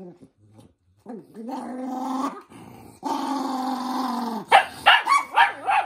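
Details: Angry toy poodle Minato protesting at having socks put on. A rising whine slides into a steady moaning growl, a second sustained growl follows, then sharp yappy snaps close the clip.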